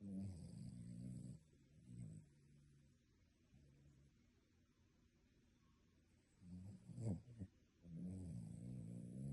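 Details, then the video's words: A sleeping dog snores like a human, with low rumbling, drawn-out snores at the start and end. Quieter breaths and a sharp snuffling snort fall in between. "Dog snoring like human!"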